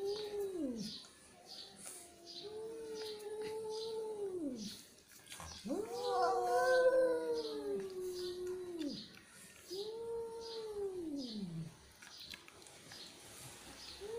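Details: Angry cat uttering a series of drawn-out yowls, one louder and harsher in the middle, others lower moans that sag at the end, with regular faint ticking behind.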